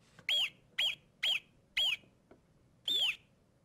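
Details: Alpine marmot alarm calls played back in a lecture on marmot alarm call diversity: four short whistles rising then starting high, evenly spaced about half a second apart, then a longer fifth whistle after a pause.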